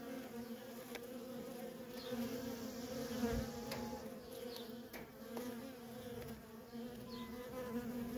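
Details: Worker honey bees at a feral colony in constant traffic make a thick, pulsing buzz, with individual bees passing close by in brief rising and falling whines above the massed hum.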